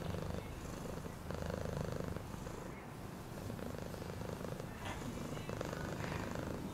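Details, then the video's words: Cat purring in a rapid, pulsing low drone, dipping briefly in volume near the middle, with faint higher sounds behind. "Cat purring sound"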